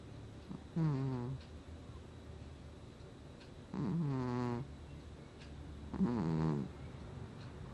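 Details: Domestic cat snoring in its sleep, August 2020: three low, harmonic breathy snores with a slightly falling pitch, each under a second long and spaced about two to three seconds apart, over quiet room hiss.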